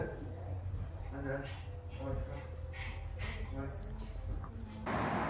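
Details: Dog making high-pitched, dolphin-like whining appeal sounds, which can come from excitement, demand or anxiety: a series of thin squeaky whistles, each sliding downward, repeated in quick bursts over a man's talking.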